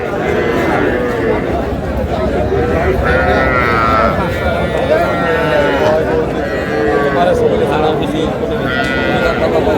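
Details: Calves at a Comilla cattle sale, small bulls and heifers, on 12 May give several wavering, nasal moos spread through the stretch, half-buried under continuous human talk and market bustle.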